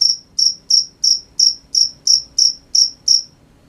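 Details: Ten crisp high chirps from crickets at night, spaced about a third of a second apart, then the calling stops.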